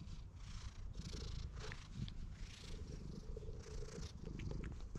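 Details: Stray cat that follows a person while glancing around, captured on a GoPro HERO8; close, dense rumbling purr, with soft rustling and faint high-pitched chirps in the background.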